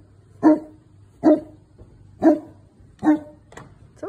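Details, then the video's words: Phantom, a Newfoundland, guarding his property against the Amazon delivery truck with a run of five deep, evenly paced barks, roughly one per second, plus a faint low hum behind them. "Newfoundland dog Phantom protects his property"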